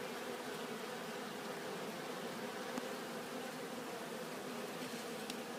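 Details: Pollen-collecting honeybees returning to the hive make a constant, thick buzzing drone from many insects at once, unbroken for the whole stretch.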